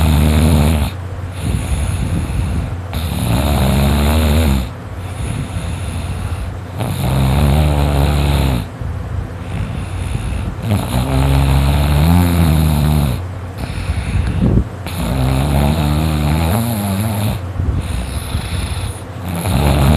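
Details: Dakota, a male dog, asleep and snoring loudly an hour after dozing off: deep, rumbling, harmonic snores with a throaty rasp, arriving in long bursts about every two seconds, separated by brief quiet gaps.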